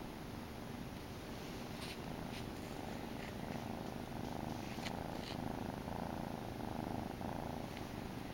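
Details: A grey male Domestic Shorthair kitten purrs steadily, a low continuous rumbling vibration with soft rhythmic pulses.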